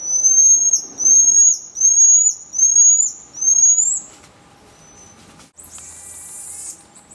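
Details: Common marmoset giving a run of five loud, high whistled calls, each slightly rising then falling, repeated roughly every three-quarters of a second, followed by a fainter whistle and a short burst of hissy, noisy sound.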